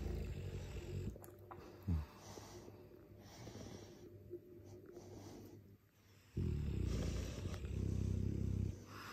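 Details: Sleeping Dogue de Bordeaux mastiff snoring loudly indoors: low rasping breaths, a short snort near two seconds, a near-silent pause, then a long, heavy, vibrating snore from about six seconds to the end.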